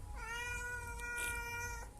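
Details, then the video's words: Domestic cat giving one long, steady meow lasting about one and a half seconds, with a clear harmonic tone and a slight fall at the end; low room hum underneath. "🐈 cat 🥛 milk and pilaya aur .. બિલાડી દુધ પીતી હતી"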